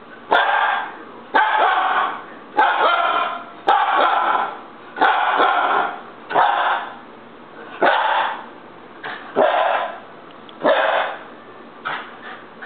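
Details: Husky puppy in a tantrum, pouring out a steady string of about ten rough, yelping howls, each roughly a second long, repeated almost every second with brief gaps.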